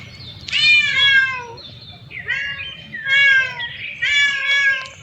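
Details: Cats and kittens walking and exploring new places; a cat gives three drawn-out, tonal meows with rich harmonics, each about a second long, separated by short pauses. Faint low background rumble throughout.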